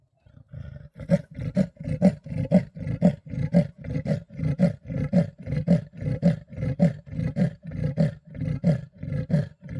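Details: Wild male leopard at Dulini in the Sabi Sands, rasping during a dispute with a rival male. Deep, saw-like grunts repeat steadily about twice a second, roughly eighteen strokes in a long unbroken series, each harsh and breathy.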